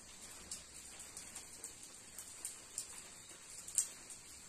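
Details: Cicadas in the woods of Umroi, Meghalaya, sing on a rainy day as a steady, very high-pitched hissing drone, broken by the irregular taps of falling raindrops.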